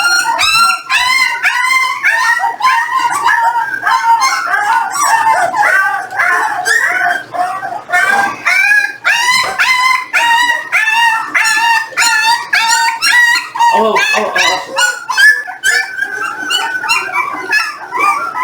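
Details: Litter of 18-day-old Jindo puppies during a weighing session alongside their parent dogs; many overlapping high, wavering whines and squeals pour out almost without pause, rising and falling in rapid bursts.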